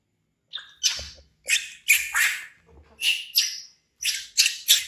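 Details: Frightened orphaned baby monkey named Bean, found by villagers in the jungle, screams loudly at a crocodile and runs to hug a chair: harsh, high shrieks in quick bursts, about one every half second, with soft thumps underneath.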